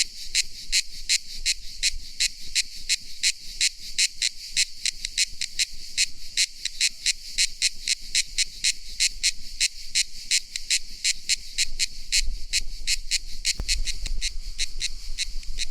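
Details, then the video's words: Cicada song: high, dry buzzing pulses repeated about three times a second in a steady rasping train, with faint low rumble beneath. "Efeito sonoro de cigarra"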